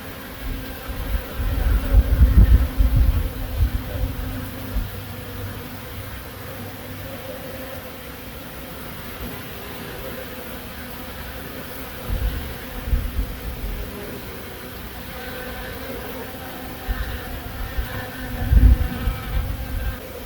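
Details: Honey bees in Himachal Pradesh, India, hum with a low, steady drone that swells as individuals pass close by.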